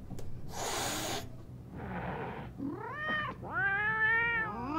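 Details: Cat meowing: after two hissy noise bursts come two clear, tonal meows, each rising then falling, the second longer and louder.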